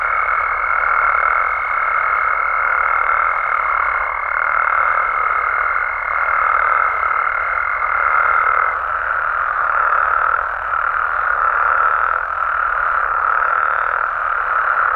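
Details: Frogs and toads from Mexico calling after dark: a steady, unbroken croaking drone with gentle swells in loudness, overlaid by a clear high sustained tone for roughly the first nine seconds.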